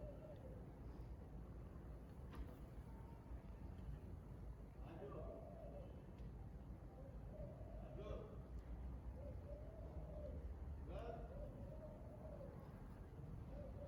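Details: Hungry stray kittens in Istanbul meowing for food: short, arched, rising-then-falling mews repeated every one to two seconds, several overlapping, set against a steady low rumble of urban traffic.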